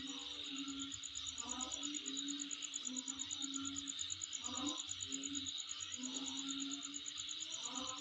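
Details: An insect's shrill, unbroken buzzing drone with quick even pulses fills the night air at home; deeper hoot-like notes sound in short bursts below.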